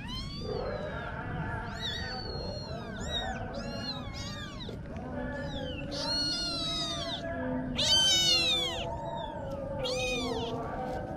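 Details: Kittens of the Marcon Cat Family meowing continuously, many overlapping high arching calls of rising and falling pitch following one another in quick succession, some loud and drawn out, over a steady low background hum.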